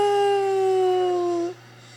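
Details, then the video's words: Single drawn-out howl from Bruno, a black Labrador Retriever howling at fire trucks, holding a steady tone that slides slightly lower before cutting off abruptly, leaving only a faint background hum. "Bruno the blacklab howling to fire trucks"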